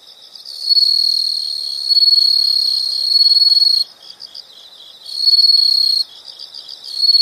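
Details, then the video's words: Insects calling outdoors, a long loud high-pitched trill lasting about three seconds, then shorter trill bursts, all over an unbroken bed of fainter rhythmic chirps. "the sound of insects"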